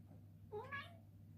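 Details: Male Ragdoll cat indoors asking for his morning treat gives one short, soft meow rising then falling, under half a second, over a steady low hum in a quiet room.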